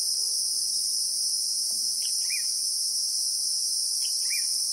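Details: Christmas beetles (Anoplognathus) buzz in a continuous, shrill wall of sound in the South African bushveld, real-time recording; two short bursts of bird chirps break in at about two and four seconds.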